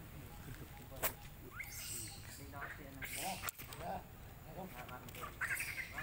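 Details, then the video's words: Baby monkey Lucie crying loudly after the mother refuses milk; nasal, wavering cries with stacked harmonics, a quick rising squeal near two seconds, and a brighter, higher burst at the end, over rustling and background voices. "OhGod ! Ve-ryP-ity Lucie Cr-y Lou-dly Se-isures An-gry Mom cos Mom R-ej-ected Milk I Lo-vely Monkey"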